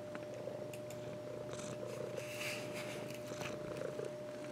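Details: Pet cat resting on its owner's lap, purring in a continuous low buzzing rumble, with a thin steady high tone and light rustles over it.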